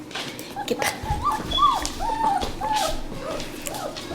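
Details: German Shepherd puppies about three and a half weeks old, born December 27, 2013, with their mother nearby; short rising-falling whimpers and squeaks come in an irregular string, with some handling noise.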